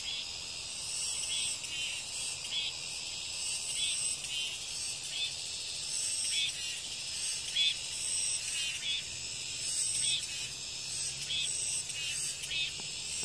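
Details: Cicadas singing after the rain ends: an unbroken, intense high-pitched whine. Slightly stronger pulses ripple through it about once a second.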